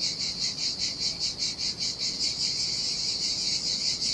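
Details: Summer cicadas singing beside the sea on a lonely Sardinian beach: a dense high-pitched electric buzz, rhythmically throbbing at first, then smoothing into a near-continuous drone, with soft background wash.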